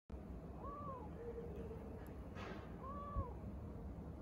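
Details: Three-month-old male Domestic Shorthair kitten, yellow with a short tail, up for adoption in Bandar Rimbayu, Selangor, gives two soft, faint arched meows about two seconds apart over a steady low hum.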